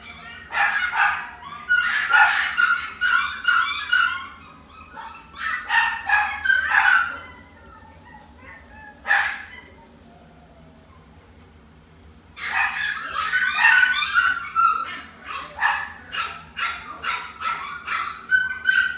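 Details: Chihuahua at Inu no Ie pet shop, Shippo branch, yapping in rapid high-pitched runs, falling silent for about three seconds midway, then resuming with a dense burst of barks.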